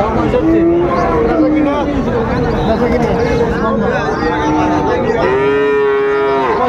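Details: At Raniganj cattle market in Dinajpur, Bangladesh, 12 July 2024, Friesian and crossbred heifer calves moo repeatedly: several short and long overlapping bellows from different animals over steady crowd chatter, ending with a clear sustained call.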